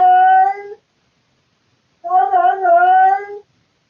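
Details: At night around 3 to 4 am, a male domestic cat indoors gives loud harmonic yowls: the tail of one call, then a wavering call of about one and a half seconds.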